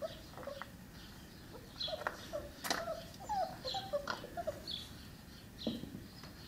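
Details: A litter of Cane Corso puppies, five weeks old, offspring of Axa and Paolo: brief high squeaks and whimpers come in scattered clusters over sharp clicks and knocks, with faint high chirps behind.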